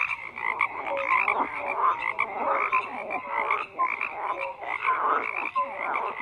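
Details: A frog chorus: numerous frogs croak at once, rough pulsed calls layered with brief bright tonal notes, steady and unbroken throughout.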